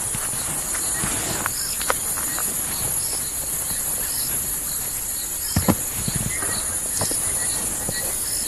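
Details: At night in the South African Lowveld bush on the Rietspruit Game Reserve, frogs start calling with short, high, repeated notes over a steady, shrill insect chorus, heard with the vehicle's engine off.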